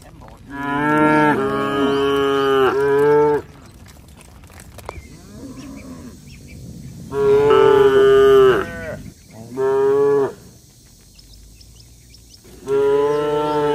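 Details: Tame cattle being fattened in a village, lowing to herd-mates while walking home to the shed: loud, buzzy moos in bursts, a long double call, then single calls after quiet gaps, with faint rustling between.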